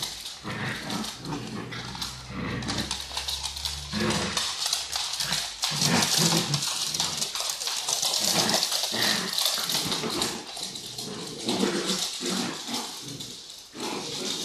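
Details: Pet dachshunds, including Honey and MJ, indoors with a ball between them; continuous scuffling and rustling with short whimpering yips and occasional barks throughout, loud and dense.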